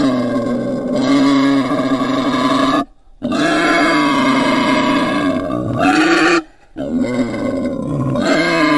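A wild boar calls with drawn-out, rough, nasal squeal-grunts, each lasting a few seconds. Three loud bursts follow one another, split by brief silences, with a slight upward lift in pitch near the end of the second.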